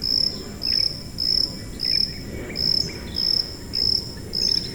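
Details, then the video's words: Cricket chirping, offered as a high-frequency masking sound for tinnitus: a thin, steady high-pitched tone in short even pulses, about nine in under five seconds, over a soft low rumble and faint scattered chirps. "고주파_귀뚜라미3 / High-Frequency_Cricket3"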